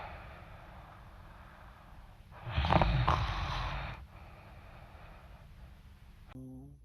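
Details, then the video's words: A sleeping dog snoring loudly: one long, rough, noisy snort swells and fades over about a second and a half, set against a low steady hum and faint background noise. "cute dog snoring loud when sleeping"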